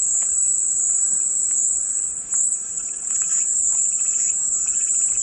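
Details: Relaxing cicada song: a high, hissing drone sustains throughout with slight swells and a brief dip around two seconds, accompanied by faint intermittent lower clicks and chirps.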